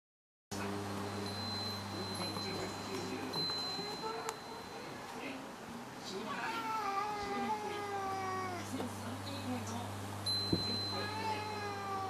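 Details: Sibling cats, one giving several drawn-out, harmonic meows that rise and fall, clustered in the second half, over a steady low hum and a faint constant high tone.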